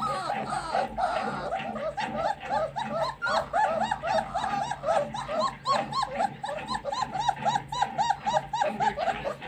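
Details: Double coat German shepherds at a pet shop in Ranchi, Jharkhand, giving a rapid, overlapping stream of high, arched whines and yelps, several voices repeating about every quarter second with faint background noise.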